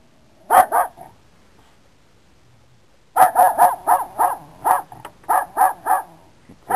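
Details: Dog facing a cat lets out two quick barks, falls silent, then fires off a rapid string of about ten sharp barks in close succession.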